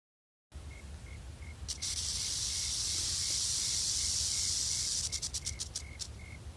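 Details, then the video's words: Wild rattlesnake beside a patrolled trail, scared and warning of its presence: a continuous high hissing buzz of rattling that swells and holds for several seconds, then breaks into separate clicking bursts, with a faint steady tone and low rumble behind. "Rattlesnake rattling"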